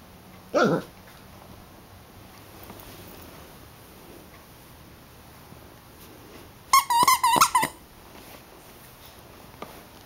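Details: Eight-week-old Siberian Husky puppy indoors, whining in frustration at an orange squeaky toy she cannot pop. A quick burst of wavering, pitch-bending whines comes near the end, after one short sharp sound early on. The room is otherwise quiet.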